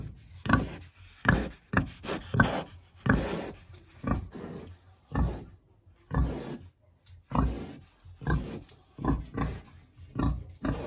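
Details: A hungry big pig in its pen in a village on a warm autumn day, grunting in short, low, rough bursts, often in quick pairs, about a dozen across the stretch with brief pauses between.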